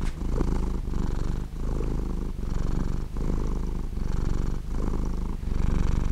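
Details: A cat's low, buzzing purr, close and steady, broken into breath-long stretches of just under a second, with a slight catch between inhaling and exhaling phases.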